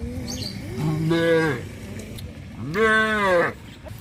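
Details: Cattle on a traditional village farm moving along the road to their pen in the afternoon give two loud, rich moos, each rising then falling in pitch and lasting under a second, separated by a short pause.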